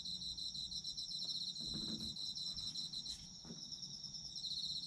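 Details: Autumn insects in a chorus, a dense high shrill trill with fast pulsing bands, steady throughout, with low rustling and a few soft thuds underneath.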